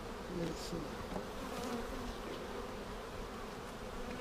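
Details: Honey bees in a hive opened for inspection seven days after a vertical split with a double screen divider board, checked for eggs and queen cells on March 10, 2019; a steady, low droning hum with faint tonal bands holds throughout.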